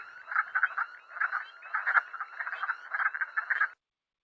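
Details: Wood frogs chorus in hoarse, clucking croaks, overlapping like a field of quacking ducks.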